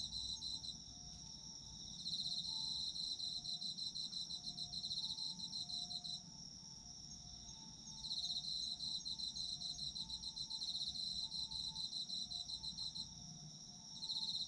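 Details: Autumn insects in a dense chorus: rapid pulsed chirping trills over a steady high ringing tone, with faint lower whistled notes; the pulsing drops away briefly near 1, 6 and 13 seconds, leaving the ringing.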